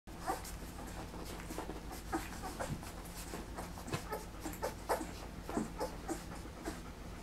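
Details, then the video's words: Three-week-old puppies at feeding time: a busy stream of short wet smacking and clicking bursts, with a few brief high squeaks mixed in, over a steady low hum. "Puppies feeding time 3 weeks old"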